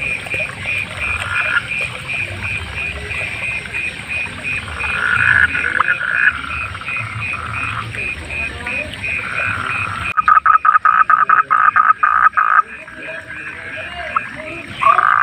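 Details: Wild frogs croaking at night, a dense chorus of pulsed calls with regular high clicks, then a nearby frog breaks in with loud, rapid stuttering croaks in quick bursts.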